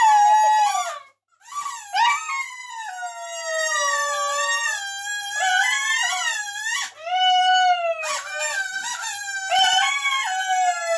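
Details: A dog singing, almost unbroken: long, melodious howls that waver and bend in pitch, with one short break early and a dip near the middle, recorded indoors.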